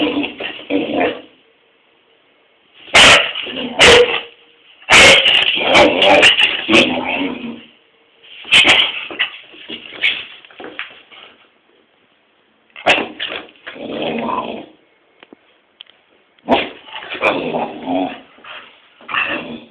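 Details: Pet English Springer Spaniel barking at its owner for no reason, giving irregular bouts of sharp barks, yips and longer whiny, moaning vocal sounds, roughly one outburst every few seconds with brief quiet gaps.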